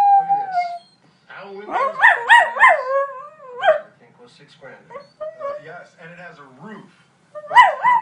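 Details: A corgi howls in wavering, rising and falling tones at a particular scene of the film Men in Black, with the film's voices in the background.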